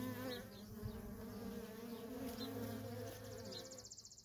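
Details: Constant traffic of worker honey bees at a wild feral colony produces a smooth layered hum, with a rapid high ticking pulse appearing toward the end.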